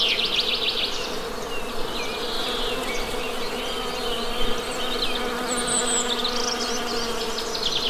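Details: Honey bee buzzing forms a constant low hum beneath scattered bird chirps and a few sliding whistles spread across the eight seconds.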